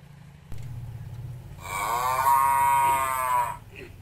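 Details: Village cow feeding on grass gives one sustained, rich moo lasting about two seconds, after a brief low rumbling.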